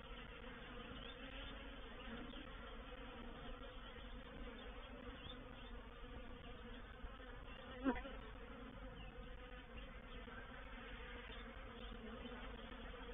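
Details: Swarming honey bees moving into a bait hive, recorded 04/07/21: a continuous low, layered hum of many wings, steady in loudness, broken by a single brief knock near the end.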